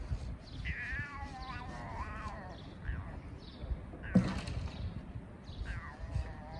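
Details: Two homeless street cats meowing to sort things out between them: drawn-out, wavering meows with bending pitch early on, a sharp knock midway, a shorter meow near the end, over steady low rumbling background noise.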